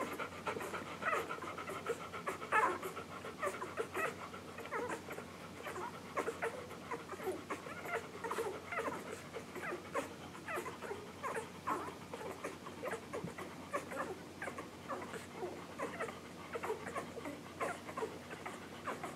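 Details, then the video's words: English Golden Retriever puppies just under one week old, from Maddie and Jazz's litter born July 9, 2012, nursing on July 15, 2012; dense soft suckling clicks and snuffling breaths with occasional thin squeaks throughout. "English Golden Retriever Puppies Nursing"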